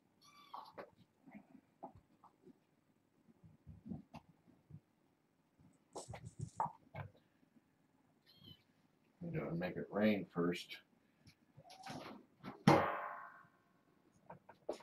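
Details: Bedtime with a litter of six foster kittens, four female and two male, born August 29th and brought via Purrfect Pals; a soft human voice murmurs throughout, then one loud, clear meow with a strong tonal ring sounds near the end.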